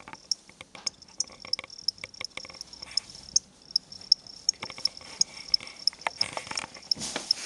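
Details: A pair of pet crickets from a pet shop, sold there as food for reptiles, kept indoors. Bright high-pitched chirps repeat roughly three per second, mixed with scattered clicks and rustling from handling.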